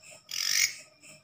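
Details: Katydid (belalang daun) that wandered into a house at night, a strange sound usually heard in the forest: one short, raspy, high-pitched buzz of rapid pulses lasting about a third of a second, with faint quiet surroundings.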